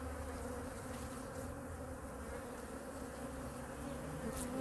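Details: Honey bee colony in hive #2 during a winter weekly inspection, with food reserves checked and feeding. A steady, low, droning hum holds on two even pitched bands throughout, with faint rustling and a soft knock at the end.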